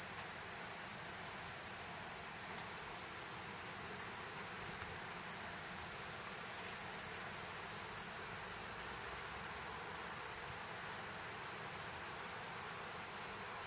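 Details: Steady high metallic whine of a Platypleura kuroiwae cicada, sustained without pause or change in pitch, over a quiet background.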